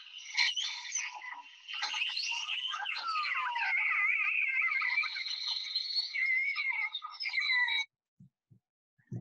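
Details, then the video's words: Transient killer whales in the Salish Sea, British Columbia, socializing in a large group trade squealing, pulsed and whistled calls; their sounds differ from those of resident killer whales. "I do have some sounds here as well from transient killer whales when they're having a big social group and having a party."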